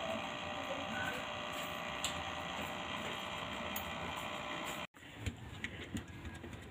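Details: A steady mechanical buzz like electric clippers runs indoors, breaks off briefly, then resumes with a few clicks and knocks, and no animal sound.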